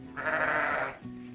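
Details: Sheep on a farm giving a single short bleat lasting under a second, strained and slightly nasal, over a steady background of soft music.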